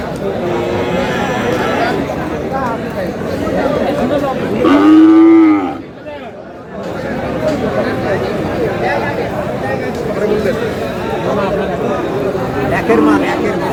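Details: Sahiwal bull calf at a crowded cattle market in Cumilla, Bangladesh, letting out one strong, slightly rising then falling moo lasting about a second midway, surrounded by continuous crowd noise and talking.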